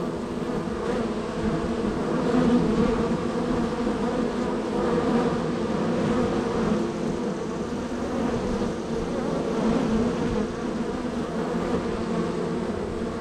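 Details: Honey bees at hive number three in a row of hives, extremely active with many entries and departures: a dense, steady droning hum centred low and mid pitch, continuous throughout with slight swells in loudness, many bees buzzing together.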